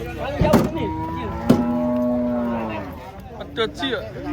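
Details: Cattle at a market during unloading from a truck: one sustained, slightly falling moo lasting over a second, framed by loud bangs of metal and brief voices.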